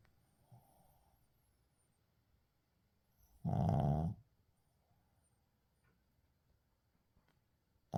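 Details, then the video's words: Quiet stretch of a Shih Tzu named Uijung sleeping: soft breathing, then a single low, rumbling snore near the middle and another beginning at the very end. "시츄 코골이"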